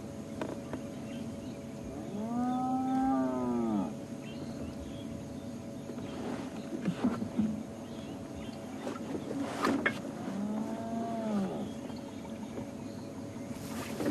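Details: A spotted hyena gives low, drawn-out, cow-like contact calls that swell and then fall away; such calls sound quiet but carry a couple of kilometres to other hyenas.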